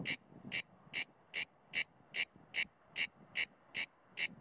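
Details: A male Mediterranean (grey) cicada, Cicada orni, in September on a pine trunk near Sueca, Spain, sings below full power while alert to the observer, repeating short, harsh buzzy pulses about every 0.4 seconds in a steady rhythm.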